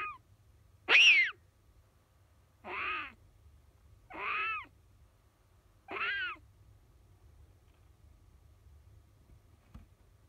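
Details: Captive-bred Siberian lynx kitten calling in its sleep while dreaming a nightmare: four plaintive, mewing cries with falling harmonics, each about half a second long, spaced roughly every one and a half seconds over a low hum.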